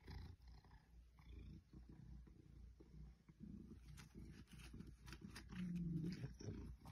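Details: Purring of Ruby, a female Maine Coon aged eight, as she is petted and rubs on artificial plants indoors. A steady low rumble pulses rapidly, with scattered rustling and brushing noises.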